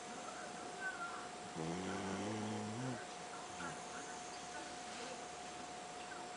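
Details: A sleeping pet dog snoring, its snore likened to a husband's: one low, tonal, droning snore of about a second and a half that swells slightly at its end, over a steady room hum.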